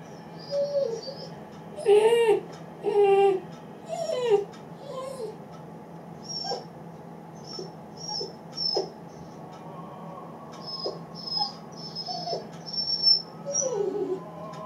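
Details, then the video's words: A lonely Great Dane puppy, eight weeks old, left as one of its people exits the room. It whimpers in wavering, falling cries, strongest early on, then trails off into softer intermittent squeaks against a quiet hum. "Great Dane Puppy is Lonely"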